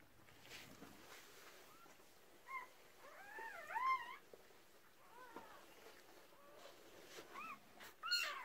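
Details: Red merle Cardigan Welsh Corgi delivering her first litter of six puppies in 2018. Thin, wavy whimpers rise and fall in quick clusters, fading, then a short sharp squeal at the end over low rustling.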